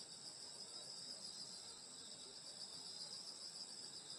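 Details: Rural summer night with insects calling: an unbroken high, buzzing trill chorus, evenly loud throughout, several overlapping pitch bands, nothing else clearly heard.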